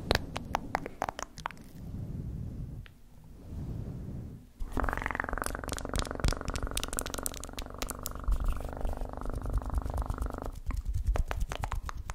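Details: Cat purr rising after soft rustling and clicking, then holding as a long even rumble for about six seconds while sharp crackling taps continue over it and after it fades.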